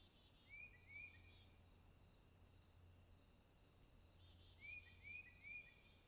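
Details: Night swamp crickets keep up a continuous high, buzzy trill; twice a separate caller adds three quick upward-sliding whistles, against a soft low hum.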